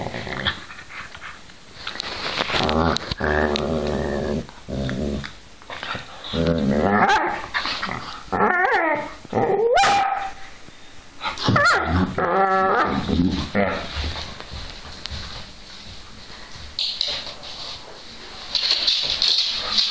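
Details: Two whippets at play give bursts of harsh growling and yelping whines with rising and falling harmonics, loud and irregular, alternating with short pauses indoors.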